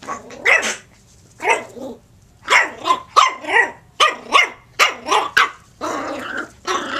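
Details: Puppy at play indoors, giving a run of short rough growly barks and yips, about ten bursts over seven seconds in an uneven rhythm, with a faint steady hum behind.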